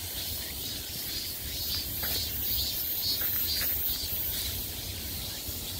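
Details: Midsummer cicada chorus, a high buzzing hiss pulsing in quick waves about twice a second, somewhat softer, over a low murmur of background noise.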